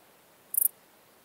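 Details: Small Gold Grasshopper from Elsbethen, Austria, 26 September 2021: one very short, high, scratchy chirp of three or four quick pulses, over a soft background hiss.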